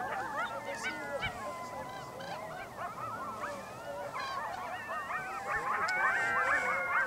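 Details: Several coyotes howl together in Yellowstone National Park: overlapping wavering, sliding tones mixed with quick yips and yelps, rising into a dense, excited chorus that grows louder toward the end.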